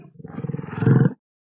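A buffalo gives a deep, throaty bellow lasting about a second, pulsing and swelling before it cuts off.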